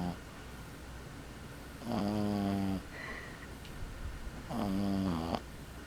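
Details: A male Boston Terrier puppy about 12 weeks old snores in low, rattling breaths roughly every two and a half seconds.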